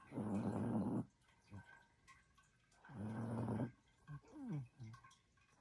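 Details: Sleeping female Chihuahua snoring indoors: two long, loud, rasping snores about two seconds apart, followed by a brief murmur of a human voice.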